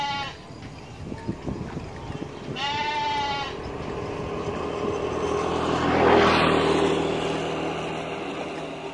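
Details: A goat feeding at the edge of a rice field beside a main road gives a wavering, nasal bleat over steady traffic noise.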